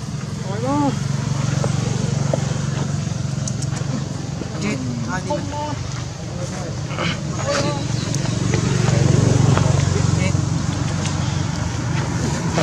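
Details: Hungry baby monkey Jinx begging its mother Jade for milk: a series of short, arched, wailing cries with clear overtones, coming in bursts every second or two, over a steady low engine-like rumble and some background voices.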